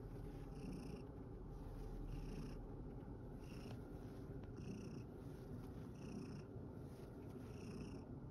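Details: After tiring play in a field, male rescued cat Satchan of Kazeno Kobo keeps up a rough, low, unbroken purr, while faint high tones pulse about once a second behind it.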